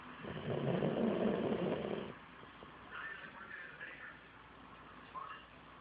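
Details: A dog snoring: one loud, rough, rasping breath lasting nearly two seconds, followed by quieter, softer breathy sounds and a faint background hum.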